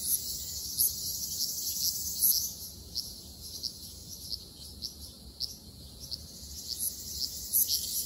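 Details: Ryukyu large brown cicadas (Graptopsaltria bimaculata) in an Okinawan forest in summer fill the air with a steady, high, sizzling drone.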